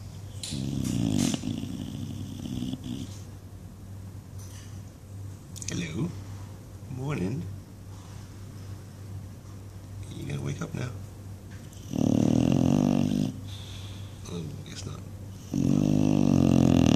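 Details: English Bulldog Buddy snoring while dreaming, with rough flapping snore bursts at the start and end, while a person talks softly to him in between.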